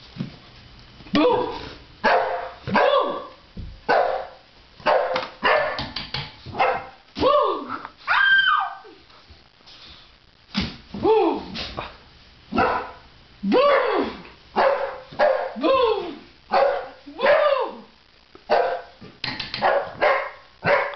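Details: Boxer named Cairo playing games on a stairway, barking in short sharp bursts repeated roughly every second, some barks bending into falling yelps, with brief pauses between runs and a person's voice now and then.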